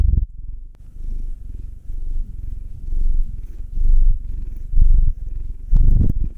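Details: Domestic cats purring while being massaged, a nine-year-old male black cat named Will and a two-year-old female tortoiseshell-coloured Munchkin named Anzu: deep, rumbling purr swelling and fading with each breath, about once a second, after a brief opening click.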